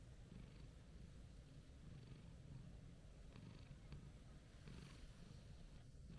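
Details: Calm orange-and-white stray cat purring while being petted: a steady low rumbling purr with rhythmic pulsing, under faint outdoor background noise and a few soft clicks.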